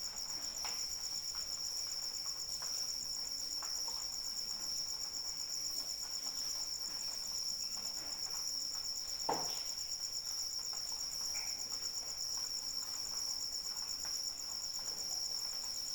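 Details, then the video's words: Crickets trilling steadily through a rain shower meant for sleep, a sustained shrill tone with a pulsing companion above it, accompanied by continuous light rain and a single louder drip near the middle. "Suara Hujan dan Jangkrik Pengantar Tidur"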